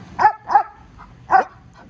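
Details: A 20-month-old male Belgian Malinois in protection training gives alert barks from a pool top on command: three sharp, harmonic-rich barks, two in quick succession, then a third after a pause of nearly a second.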